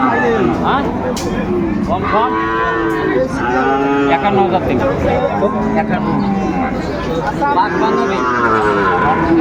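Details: At a Bangladeshi cattle market in Chattogram on 17 August 2024, bulls for farm use are being traded. Repeated arching moos come every second or two, several animals overlapping, against a steady hum of human talk and crowd noise.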